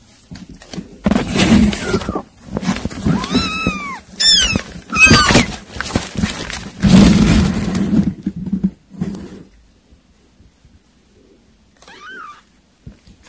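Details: Kittens eating weaning food indoors give a few high, arched meows with clear overtones around the middle of the recording, rising then falling, plus one thinner meow near the end, over loud smacking, chewing and clattering sounds.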